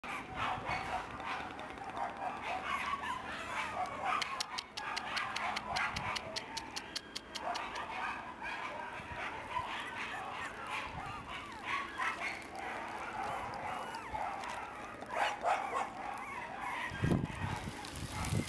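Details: Red male Shiba Inu puppy, born 16 October 2011 and filmed 8 November 2011 at a breeder's kennel; high, thin whimpering yips and squeals come in bursts over a run of rapid clicking taps and light background noise.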